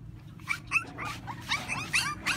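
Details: French Bulldog puppy, thirty days old, during a bath: short, high whimpering yelps in quick succession, about eight in under three seconds, each bending up then down, over a low steady hum.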